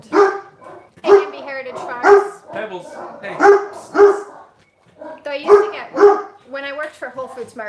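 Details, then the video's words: Farm dogs barking in alarm after one dog went upstairs and made a sound; sharp, harmonic barks repeated roughly once a second in a run, with a person talking over them. "one of our dogs went upstairs and made a sound and now everybody's alarmed"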